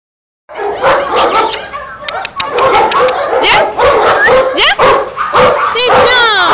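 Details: Excited, happy Boxer dog greeting its owner: rapid high whines and sharp yips, many sliding upward, crowding several seconds, with a woman's soothing French voice talking over them.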